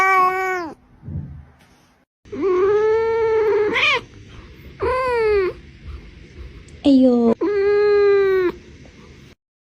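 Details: Domestic cat answering with a series of loud drawn-out meows and yowls, each about a second long with rising and falling pitch, separated by short pauses.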